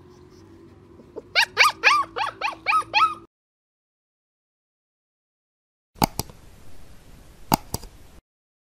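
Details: Sultan, a German Shepherd Dog puppy aged 45 days, plays on a terrace and gives a burst of about eight high, yelping barks in under two seconds. After a silence come sharp clicks and knocks.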